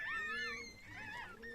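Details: Chihuahua indoors at the time of giving birth; two drawn-out, high-pitched whines, the first wavering and longer, the second shorter and falling away.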